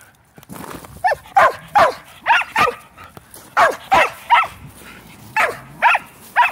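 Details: Pet Shelties, female Shetland Sheepdogs playing ball, give about a dozen loud, sharp barks in quick irregular succession, some doubled, over low background noise.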